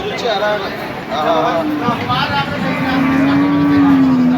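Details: Cattle at the Hazratpur market, big bulls among a crowd: a long steady low moo fills the second half, after shorter calls, with vehicle noise, people talking and music behind.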